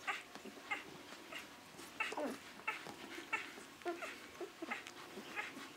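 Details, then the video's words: Great Dane puppies, six days old, giving thin high squeaks and little whining peeps at an uneven pace, a few lower grunting whines mixed in, quiet room hiss behind. "Grand Danois Puppies 6 days"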